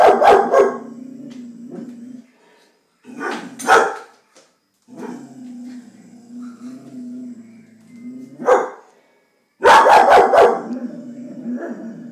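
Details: Vizsla female named Vada barking indoors at a stink bug: sharp loud barks in bursts a few seconds apart, with low growling whines between, and a person urging her to go get it.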